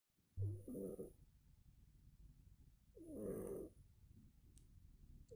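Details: Sleeping house cat named Murka snoring like a man: two soft, rasping snores about two and a half seconds apart in a quiet room.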